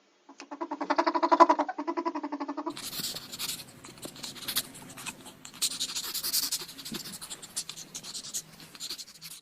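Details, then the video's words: A ferret indoors makes a quick, even series of harmonic clucks for about two seconds, swelling in volume, before heavy scratching and rustling noise takes over. "FUNNY FERRET SOUNDS"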